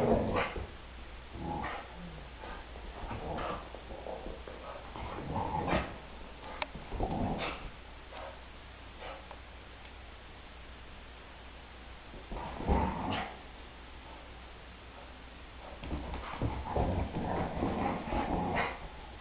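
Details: Brittany dogs playing indoors with a 10-week-old foster puppy, two days after its arrival: scattered short yips, barks and whimpers in irregular bursts, with scuffling movement noise between them.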